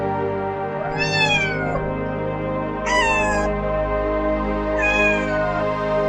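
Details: A cat meows three times at intervals of about two seconds, each call arching up and sliding down, with music playing steadily underneath.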